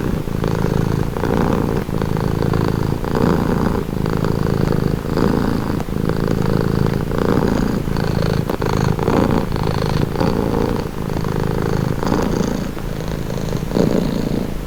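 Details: Domestic cat purring, offered as a calming, relaxing sound: a deep, steady rumble that swells and fades with each breath, roughly once a second, continuous throughout with no other clear sounds.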